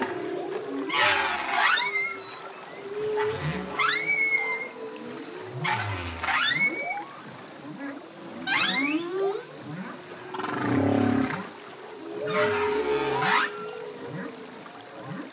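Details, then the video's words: Solo male humpback whale singing: repeated sweeping whoops that rise steeply into high squeals, roughly every two to three seconds, over a low steady tonal hum and bubbling, watery undertones. "Humpback Whale. Song From Solo Male, Deep, Bubbling And Whooping Phrases"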